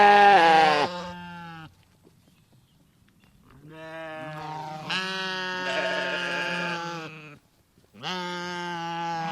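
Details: Several sheep bleating, with long, buzzy, harmonic-rich calls of one to four seconds, one voice overlapping another, and short quiet gaps between bursts.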